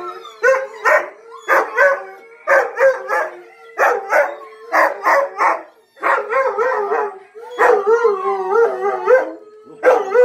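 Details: Male Siberian husky howling again, prompted by other dogs' howling: a rapid series of short yodelling woo-woo bursts, then longer warbling howls, over a faint steady hum.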